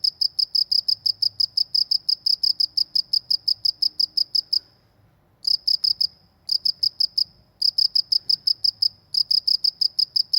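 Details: Cricket in a rural Indonesian setting gives rapid high chirps in bursts, interrupted by several short silences of a second or so, then resuming the quick even pulse; low background rumble.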